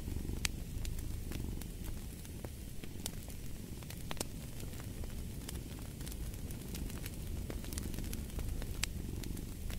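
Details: Soft, rough rumbling purr of a cat under a busy crackling fireplace, the fire's dense snaps and clicks nearly as prominent as the purring.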